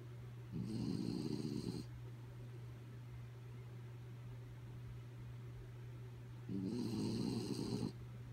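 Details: Kaya, a sleeping pet dog, snoring indoors: two long rasping low snores about six seconds apart, each lasting over a second, with a steady low hum running underneath throughout.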